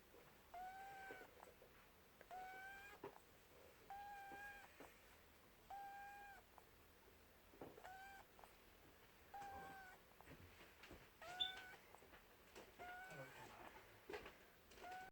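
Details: Buttons, a pet rabbit, snores in its sleep: a long run of faint squeaky whistles with bright overtones, one per breath roughly every two seconds, steady and soft against a quiet indoor background.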